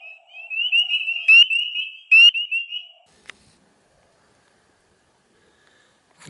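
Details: A spring peeper (Pseudacris crucifer) in early April gives a high, wavering piping for about three seconds, broken by two sharp peeps.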